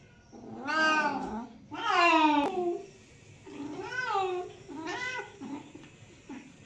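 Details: Domestic cat meowing indoors: four drawn-out, tonal meows about a second apart, each rising then falling in pitch with rich harmonics, the second loudest and ending in a sharp click, in a quiet room.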